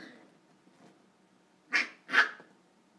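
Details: Corgi puppy playing on a couch indoors: two short, sharp yips or barks close together near the end, after a stretch of faint rustling and breathing.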